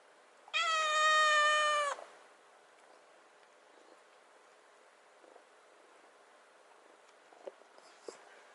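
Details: Rescued kitten, 96 days after being taken in, waiting at the fridge for wet food: one loud drawn-out meow of about one and a half seconds, steady and harmonic-rich, then quiet room with faint clicks and a man speaking.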